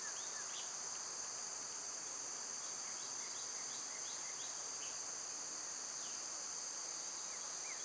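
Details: Summer cicadas, loud this time of year, keep up a constant high-pitched hiss, as bird calls sound as sparse short downward-sliding chirps throughout.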